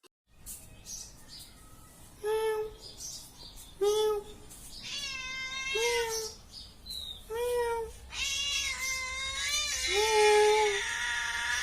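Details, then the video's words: Domestic cat meowing repeatedly, five or six clear tonal meows spaced about one and a half to two seconds apart, each short and slightly bent in pitch, the last ones longer and more drawn out with a brighter, strained tone. "ಬೆಕ್ಕಿನ ಸೌಂಡ/ಗರ್ಜನೆ ಕೇಳಿ ಹಾಗು ನೋಟವನ್ನು ನೋಡಿ. Cat Sound and Look See."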